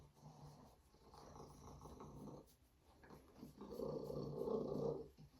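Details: Savannah cat Binah, female, showing off her purr: a quiet rumbling stretch that grows into a louder, fuller purring burst in the last two seconds.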